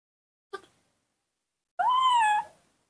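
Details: An orphaned baby monkey, missing its mother, gives a single clear, tonal coo that rises and then eases down. It calls and cries after being bottle-fed milk.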